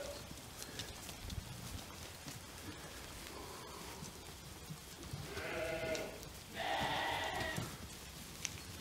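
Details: Jura sheep around a year old, kept in a flock with a breeding ram, spending days on pasture and nights in the barn. After quiet rustling, two strong, rich bleats arrive back to back, the second louder and longer.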